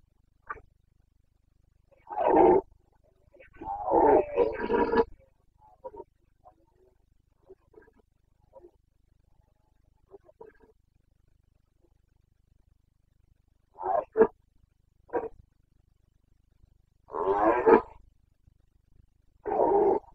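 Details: Carpathian red deer stag in Bucovina, Romania, in the rut on 29 September 2022, giving rough, guttural roars in two spaced clusters, with faint grunts in the long quiet gap between them.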